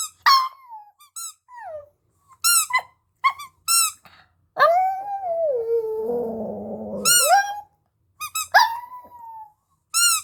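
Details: Singing puppy howling: squeaky yelps, then a longer, lower wavering howl in the middle that holds and rough-edges before rising again, followed by more sliding yelp-howls.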